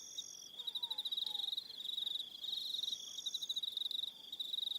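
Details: High, rapidly pulsed trilling from many crickets on an evening at Aroha Island, New Zealand, with an upper buzzing band switching on and off and a faint low slurred note near the start.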